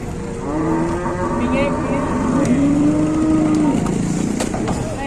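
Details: A large cow lying down and unable to get up bellows a long, steady, low moo lasting about three seconds with a brief break midway, over steady background hum and faint passing traffic.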